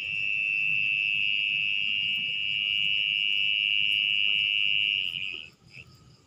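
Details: A mole cricket (orong-orong) calls at night from a burrow in wet soil being dug open. A steady high-pitched trill holds for about five seconds, then stops abruptly. A short chirp follows, then quiet.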